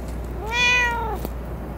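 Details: Domestic cat at a dockyard garden, recorded early morning on 11 May 2017, giving a single clear harmonic meow that rises then falls over about half a second, with faint steady background hum.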